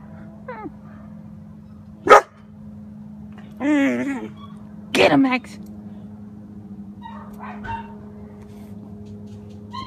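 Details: German Shepherd puppy mixing a sharp bark, a wavering whine-like howl and another bark with growly texture, then quieter yips, with speech nearby and a constant low hum.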